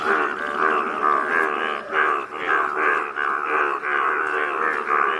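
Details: Chorus of yellow Indian bullfrogs in Malkangiri, Odisha, India, a continuous droning mass of overlapping throaty calls with a steady pulsing rhythm, loudness swelling and dipping about every second.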